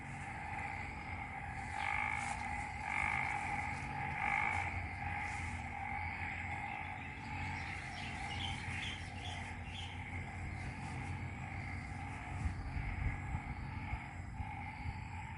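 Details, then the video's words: Isaan frog chorus after overnight rain in Ubon Ratchathani, Thailand; a sustained layered drone with stronger repeated bursts early on, joined later by a few quick high chirps, over steady low background noise. "Isaan Frogs Chorus"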